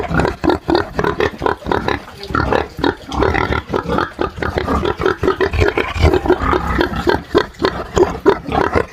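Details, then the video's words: A group of farm pigs, smallholding setting in Brazil, producing continuous rough low grunting, short rasping bursts tumbling one after another in an irregular rhythm with a few brief higher squeals. "SOM de PORCO RONC RONC"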